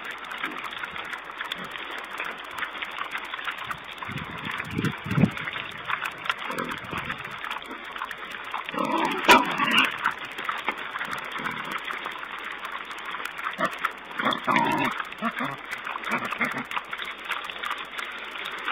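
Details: Wild boar piglets at a webcam on 4 May 2010, giving bursts of short grunts and squeaky squeals in irregular clusters, over a steady hiss from low-fidelity sound.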